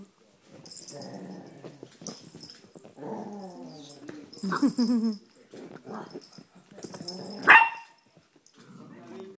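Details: A playful nine-month-old male Chihuahua on a couch, filmed by phone: a rough, continuous growly grumble rising into one sharp high yelp, with faint human voice in the background.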